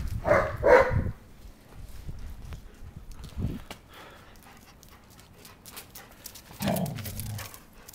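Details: Two German Shepherds playing fetch; opens with two quick, loud barks half a second apart, followed by a brief low sound mid-clip and a softer, drawn-out vocal near the end amid light rustling.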